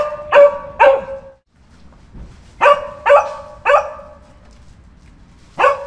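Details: Sharp, ringing dog barks in small clusters, two quick ones, a pause, then three in close succession and a last single bark, over faint low background rumble.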